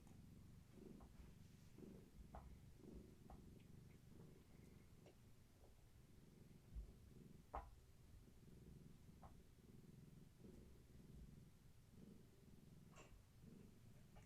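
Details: Evening indoors with the kittens of Gaia, a long-haired tabby cat, enjoying play and leg massages; a low, rhythmic purr pulses steadily for the whole stretch, with a few sharp clicks and faint rustling.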